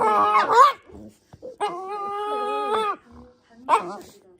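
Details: Pet Shiba Inu uttering a strange sustained whine-howl lasting over a second, steady and tonal with a slight wobble, framed by shorter yelps; a human voice may be faintly present.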